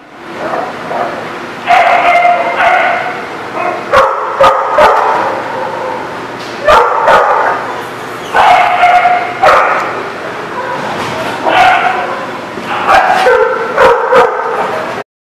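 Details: Dogs barking in bursts, loud harsh barks and higher yips, several overlapping in clusters separated by short pauses, with occasional sharp knocks or clatter.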